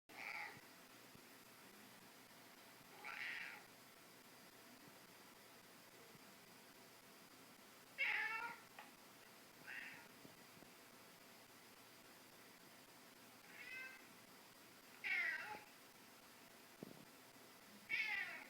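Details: Scottish Fold kitten indoors, watching another cat on a screen, giving short meows with stacked harmonics, about seven calls spread over eighteen seconds, some falling in pitch, others brief chirps, over a quiet room background.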